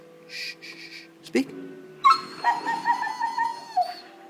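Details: A 19-week-old German Shepherd x Labrador cross puppy, voicing on command during trick practice. Hissy noises and a sharp snap come first, then a series of high, drawn whines and yelps pulse in quick succession and taper off.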